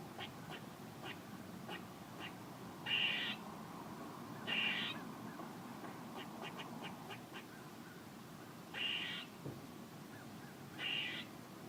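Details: Squirrel mixing scattered short clicks and chips with four louder, grating bursts, each lasting about half a second, over a low, steady hiss.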